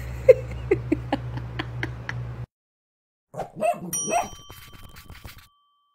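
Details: A puppy, trained to whisper-bark because neighbours object to barking, gives soft, breathy half-barks in a quick series, with a bright chime and a woman's voice praising it.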